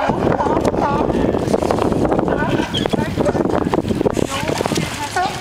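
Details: Sea lions singing and fighting: a dense, overlapping chorus of harsh barks and short wavering, bending calls, continuous throughout, over a constant low rumble of water and wind.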